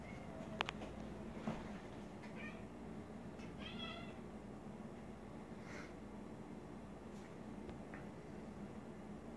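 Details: Trouble, a pet cat nicknamed "Bubble Cat", chitters at a moth indoors. Short stacked chirps come in a quick burst near two seconds and a wavering run around four seconds, then faint scattered chirps over a low room hum.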